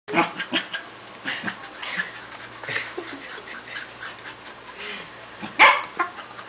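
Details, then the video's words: Two pet corgis, Toki and Toby, play tug of war, one panting hard and the other snorting; short breathy, broadband huffs recur irregularly, with a louder sharp snort near the end. "Toki makes wierd noises"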